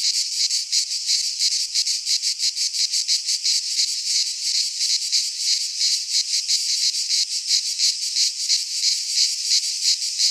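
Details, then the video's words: Cicadas singing in midsummer in a Greek pine forest: a dense, high-pitched shrill chorus pulsing about three times per second, steady and loud throughout, with no other sounds. "Cicadas singing in midsummer - Nature sounds from the Greek fauna - Sounds of cicadas"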